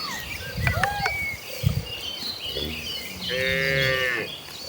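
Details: Tame cattle of a rural herd on their way to the paddy fields to feed; after some whistling chirps and rustle, one rich harmonic moo swells late in the recording, with faint background bird calls.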